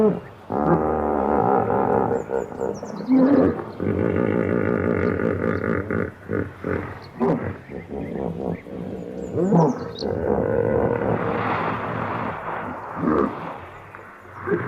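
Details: Hippopotamus bellowing in a loud, deep, pulsed series of honking grunts that run almost continuously for about ten seconds, then fade into shorter grunts; faint high bird chirps are above.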